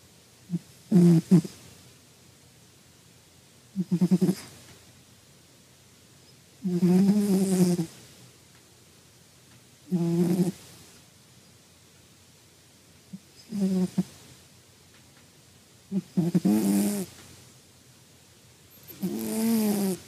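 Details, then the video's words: A sleeping cat snoring and snuffling softly: low, rough, wheezy breaths come about every three seconds, seven in all, with quiet pauses between them. "Милое сопение кота!"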